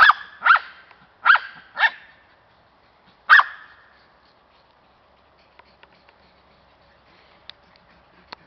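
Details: Cairn Terrier, a pet dog described as loving to hunt squirrels, gives five short, sharp, high barks in the first few seconds. Four come in quick succession, then one follows after a brief pause. Quiet follows, with a few faint clicks and taps.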